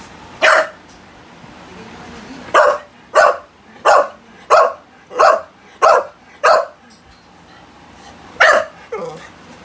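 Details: American Bully, one of two pet dogs, the pocket-type Bilbow and the classic-type Lily, barking in a run of sharp single barks roughly every half second after an opening bark, with a softer whine at the end.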